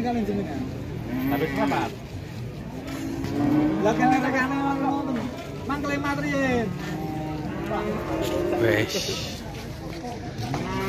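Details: {'text': 'Several drawn-out, low moos from jumbo cattle, each rising slightly then falling, repeated over about ten seconds amid people talking and passing vehicle noise.'}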